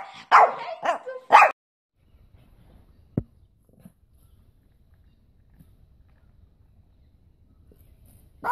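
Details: A Pekingese barks three times in rapid succession, then falls silent apart from a single click and faint background rustle, before one more sharp bark at the very end.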